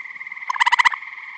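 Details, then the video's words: Eastern gray tree frog at a vernal pond in Michigan in spring or summer: one short, loud pulsed trill of about a dozen rapid beats, over a steady background chorus of other tree frogs. "Eastern Gray Tree Frog Vocalizing"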